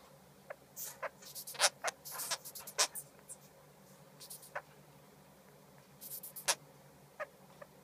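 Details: Crying of a baby sugar glider, heard as rapid clusters of brief, sharp high squeaks and clicks, densest early on, then sparser chirps spaced about a second apart.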